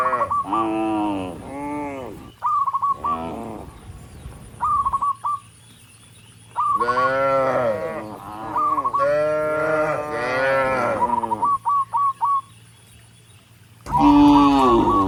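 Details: Tame cattle, dozens of them, walking up a rural road toward the barn and calling other cattle; repeated moos rising and falling from several animals, broken by quiet gaps with short chirping bursts.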